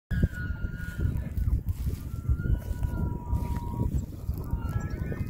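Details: Wapiti in Hurunui, New Zealand, giving a series of thin, drawn-out whistles at a steady high pitch, some stepping lower, over heavy rumbling wind noise outdoors.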